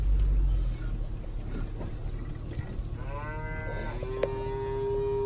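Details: Angus, Brangus and Black Motley Face cows with calves, cow-calf pairs aged 2-7 years offered for sale: after a low rumbling background, a rising, drawn-out harmonic moo starts near the third second and holds steady to the end.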